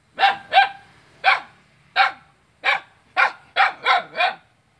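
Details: Barking dog on Jalan Kolonel Sugiono, Selat, Kapuas, Indonesia, directed at its neighbour, 5 August 2017; nine strident barks, spaced unevenly, ending in a quick run of three, over a faint background hum.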